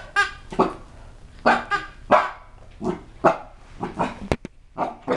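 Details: Rocky, a 12-pound Chihuahua–Cocker Spaniel puppy of seven months, yaps at his unfamiliar new toy: sharp, clipped barks about every half second, some bright and tonal, with a brief click and soft handling noises between them.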